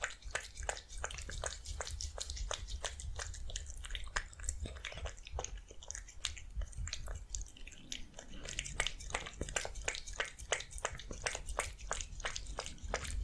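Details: Cat eating fish soup, recorded close up indoors: a steady stream of sharp, wet chewing clicks and lapping smacks, several per second, over a low room hum.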